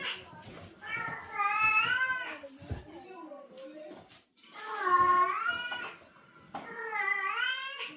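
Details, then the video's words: Cats in the breeding season, a female in heat hearing a male call; three long wavering yowls with rich harmonics, separated by quieter pauses, faint rustling between calls. "암컷 고양이는 수컷 고양이의 부르는 소리를 듣고 어떤 반응?"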